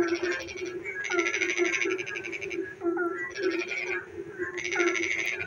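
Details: Night frog chorus during rain: harsh, rapidly pulsed trills of about one second repeat every couple of seconds over a continuous low croaking drone, with brief upswept chirps between the bursts.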